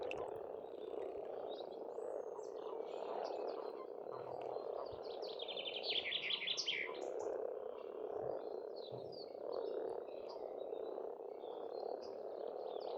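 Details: Frogs croaking in spring at a pond on a farmstead in Estonia: a dense, unbroken mid-pitched chorus fills the scene, with brief high bird chirps and twitters scattered over it.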